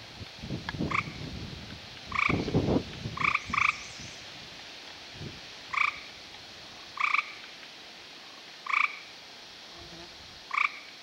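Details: American toads mating in amplexus and laying strings of eggs in a new pond: short, bright two-toned chirps repeat about every second or so, with a few low thumps and rustles near the start.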